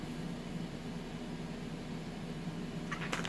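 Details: A steady fan-like hum fills a small indoor room, broken only by a few brief clicks near the end.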